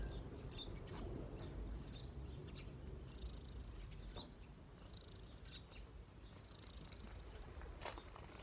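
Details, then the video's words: Cat resting on a person's knees with a gentle, low continuous purr. Outdoor bird chirps and short clicks are scattered over it. "cat’s relax on my knees 🐈‍⬛| cat purring"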